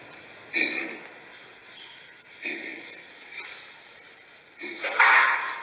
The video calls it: mandrill sound effects